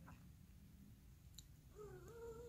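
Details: Ruckus, a female Domestic Long Hair cat indoors, checking out and playing with a new remote control jeep, gives one short tonal meow near the end that dips then rises and holds level over a low steady room hum.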